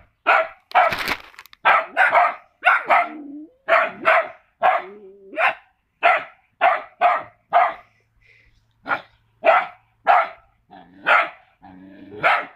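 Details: Staffordshire Bull Terrier puppies give a steady run of sharp, high, yappy barks with a few soft whines.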